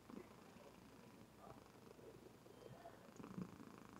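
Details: Sleeping domestic female cat purring indoors, recorded on a webcam: a soft, steady low rumble of rapid even pulses running through the whole stretch, faint and close, in a quiet room.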